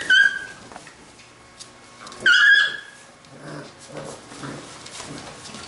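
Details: Labrador retriever puppies of a B litter at play let out two sharp, high-pitched yelps about two seconds apart, over a background of shuffling, bumping movement and soft low grumbles.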